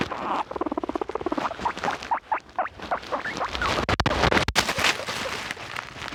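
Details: Pet guinea pigs kept indoors making loud noises: a rapid train of short pulsed squeaks in the first two seconds, then louder rough, rustling bursts with a few sharp clicks near the end.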